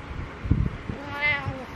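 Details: Domestic cat meowing on a pillow in the morning: one drawn-out, rising-then-falling harmonic meow near the end, preceded by soft thumps and rustling indoors.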